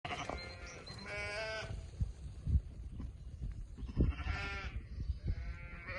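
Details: Sheep on a farm bleating in several harmonic, wavering calls, one near the start, a strong one around one second, and more at four and five seconds, over steady low rumbling background noise.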